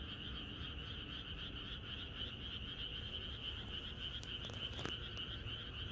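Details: Frog chorus in the country on a pre-rain night, rapid irregular pulsing croaks from many animals at once, continuous bands of sound, a couple of sharp clicks toward the end over low rumble.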